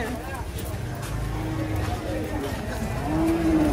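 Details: Cattle coming down from a truck, agitated: a low rumbling moo, then a short, higher moo near the end, heard among people talking.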